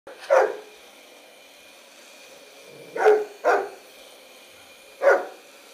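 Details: Bernese Mountain Dog named Bearne barking at a vacuum cleaner he dislikes: three separate sharp barks, the middle one a quick double, over a steady appliance hum.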